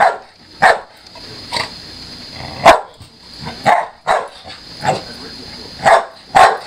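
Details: Pet pit bull Chelsea in a play match with a Maine Coon cat; sharp barks spaced roughly one second apart, some softer grumbles between them, constant high background hum.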